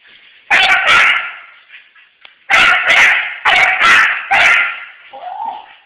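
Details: Dog pursuing a fleeing friend: a pair of sharp high yips, a pause, then four more rapid yelping barks, ending in a short rising whine as the chase goes on.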